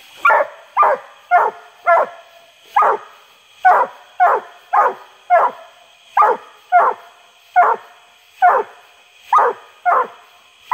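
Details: Treeing Walker Coonhound barking at a tree in a small swamp across from Porter Bayou near Indianola, Mississippi, July 12, 2016, 84 degrees after rain; a close, steady run of about fourteen loud chopped barks, nearly two per second.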